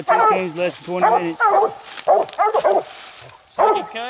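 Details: On a night raccoon hunt, second coon, the coonhounds Nite Ch Fit and Nite Ch Cindy give deep, drawn-out bawls with stacked harmonics, mixed with short barks and a brief pause before a final bawl.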